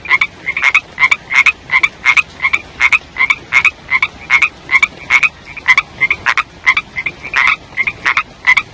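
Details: Frogs, said to be young ones, croaking during the rainy season: dense run of sharp, raspy pulses roughly three per second, bright and ringing, from more than one caller.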